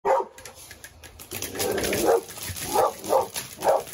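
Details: Seven-month-old male Dogo Argentino barking in a temper during a first-time reaction: short, mid-pitched barks, one near the start, then a longer rough bark around two seconds and three more quick barks toward the end, with faint background noise.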